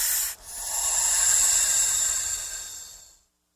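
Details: Snake hissing, a sound made when threatened or frightened: one steady airy hiss lasting about three seconds, bright and high with a thin whistling edge, fading out at the end.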